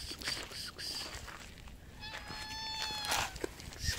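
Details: Thin, young street cat met outdoors gives a single thin, high, steady meow lasting about a second midway through, with faint harmonics above; rustling, scuffing noises and brief broadband bursts surround it.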